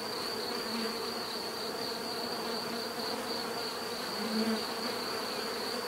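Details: Bees buzzing in a steady, dense drone with a low hum underneath, a few louder swells as single bees pass close, and a thin constant high whine running throughout.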